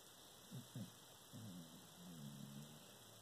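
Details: Obi Juan, a dog, dreaming and snoring in his sleep: two short low grunting huffs, then a drawn-out, low, wavering moan with layered overtones, over a steady faint hiss.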